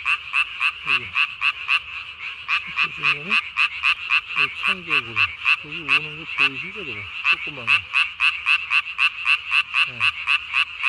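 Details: Japanese tree frog calling at night on 3 May 2020, its vocal sac under the chin swollen to nearly body size; rapid, steady train of sharp, bright rasping notes, about four per second, with lower, falling harmonic croaks from other frogs underneath.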